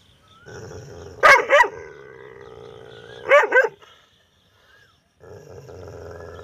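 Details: Angry dog barking loudly at a stranger: two harsh double barks about two seconds apart, then quiet, over a steady low droning hum in the background.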